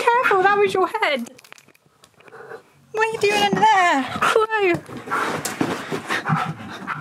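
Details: A male Siberian Husky named Key won't stop talking until he is played with indoors. He gives wavering, howl-like yodels that bend and fall in pitch, two long bursts separated by a pause, then panting and a woman's voice.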